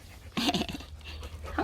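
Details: Playful three-month-old puppies indoors; a sudden loud whining yelp, wavering and harmonic-rich, then quieter breathy sounds and a second short whine at the end.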